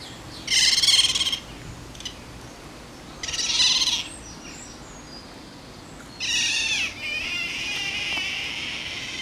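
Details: Eurasian otters Jacco and Karin, a captive pair together in the water at Diergaarde Blijdorp zoo; three loud, shrill, high-pitched squealing bursts, each under a second, separated by pauses of a couple of seconds, with steady background hiss.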